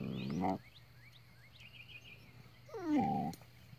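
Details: Border Collie trying to coax a tortoise into play, giving two short harmonic yelping barks about two and a half seconds apart, the second bending downward in pitch, while small birds chirp quietly behind.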